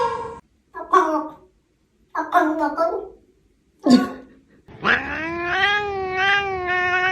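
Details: Cat making a string of short, choppy chattering sounds separated by silences, then a long, steady, slightly wavering meow held for over two seconds.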